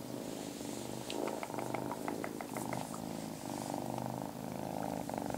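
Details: Marmalade the kitten purring, a continuous low rumble with a rhythmic in-and-out pulse, joined midway by a short run of light ticking clicks.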